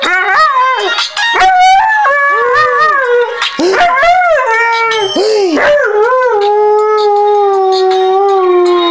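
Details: A Siberian Husky, just woken up, howls in long, wavering, yodelling notes that swoop up and down, singing along to a ringtone played on a phone.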